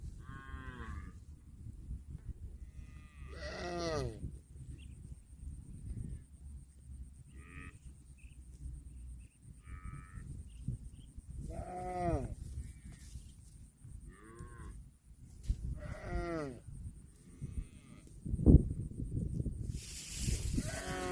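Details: Cows eating grass. Several drawn-out, arching moos sound at about 0, 4, 12 and 16 seconds. Quieter noises fill the gaps over a low background rumble, and a sharp knock comes near the end.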